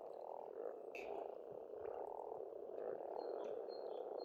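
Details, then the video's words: Massed croaking of frogs at an Estonian pond in springtime, rhythmic pulsing swells of rough low calls, and brief sharp bird chirps overhead. "Расслабляющее пение птиц и лягушек"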